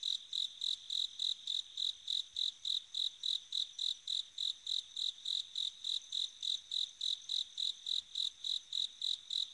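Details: Autumn-night bell cricket chirping persistently: around thirty high, tinkling pulses in under ten seconds, evenly spaced at about three and a half per second, loud and clear against near silence.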